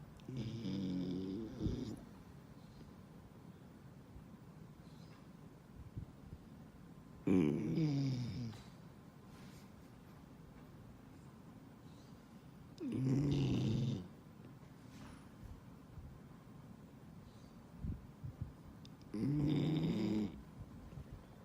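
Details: A 10-month-old male New Guinea singing dog snores during his afternoon nap, in low, rasping breaths roughly every six seconds.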